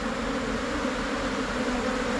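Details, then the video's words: Asian honey bees, a Thai cavity bee colony splitting off and settling into a new hive box, give a steady, even low hum that holds unchanged for two seconds with a soft hiss of background noise. "การเเยกรัง เเละเข้าอยู่ลังใหม่ ของผึ้งโพรงไทย"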